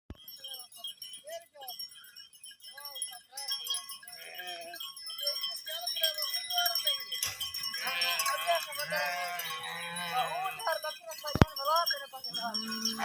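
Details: Herd of sheep bleating, wavering bleats at first sparse and short, then overlapping in a dense chorus of quavering voices with a low steady drone underneath; faint chime-like tones and a sharp click also heard.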